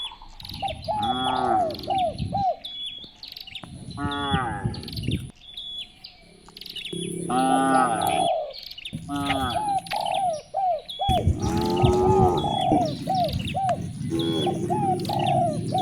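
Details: Morning herding of cows along village streets: a series of wavering, rising-and-falling moos, several overlapping and spaced a few seconds apart, over a background of chirping birds and a thin continuous high-pitched tone.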